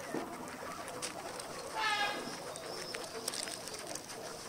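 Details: Everyday guinea pig recording with one short, bright harmonic squeak near the middle, standing above a constant hissy background with scattered light clicks and rustles.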